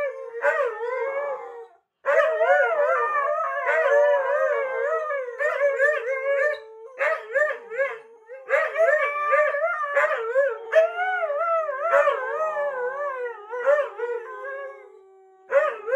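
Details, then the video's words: Siberian Huskies, three together at home without their owners, keep up a chorus of howls; warbling, wavering cries overlap with short yodel-like yips and frequent brief breaks, one low steady howl held underneath near the end. "This husky howl reaches far beyond the house."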